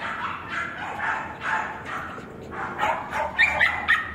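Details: Male West Highland White Terrier at a kennel, recorded on 21 April; a steady run of short, sharp barks about twice a second, ending in a few high, thin yips.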